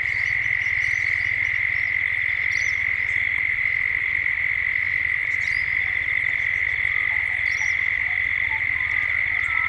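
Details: Cicadas at dusk, Gippsland, Australia, in a 3D ambient recording: an even, sustained shrill drone dominates, with quick bird chirps popping up every few seconds and a low pulsing hum below.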